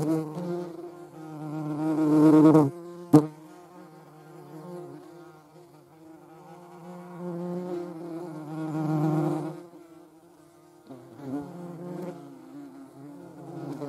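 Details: Humming flight of a European hornet, with a median wasp also in view, droning low and steady, rising in loudness around two and nine seconds, with a sharp tap near three seconds.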